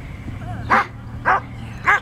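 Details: Slash, a male Standard Poodle, during Schutzhund bite work training: three sharp, loud barks, spaced roughly half a second apart, over a steady low engine hum.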